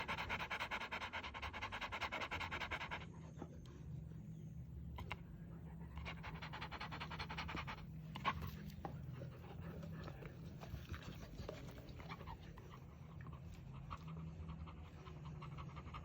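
A Rottweiler breathes heavily and rhythmically, a fast rasping pant with a deep low rumble.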